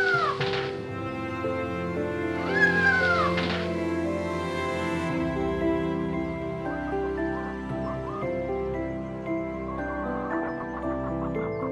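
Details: Cat giving two falling meows in the first few seconds, then fading under continuous music that carries through to the end.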